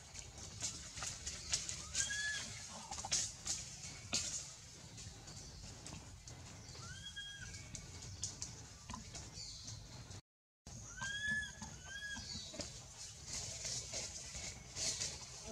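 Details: A baby monkey, held by another monkey that won't release it, gives short, arched, squealing cries that rise and fall, calling out in fright for its mother.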